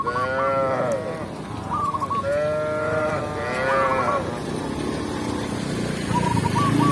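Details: Tame cows led by a village shepherd back to the pen in a rural setting, mooing in several drawn-out, rising and falling harmonic calls, with short repeated chirps in the background.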